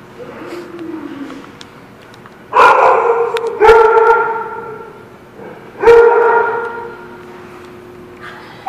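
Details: Dogs at a kennel lot; loud drawn-out howling barks with strong tonal harmonics in three long bursts, separated by quieter whines and distant yips.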